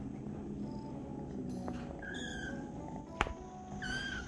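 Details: Tiny kitten, jealous and angry while another cat gets attention from a person, gives two short harmonic meows, the second arching and falling, against a steady hum and low background tones, with one sharp click in between.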